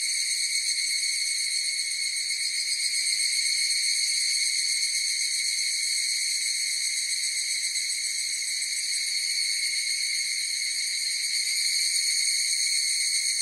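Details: Chorus of evening cicadas (higurashi) in a nature recording: a steady, high, ringing drone of stacked pure tones that holds unbroken for the whole stretch, with slight shimmering pulses and no other sounds.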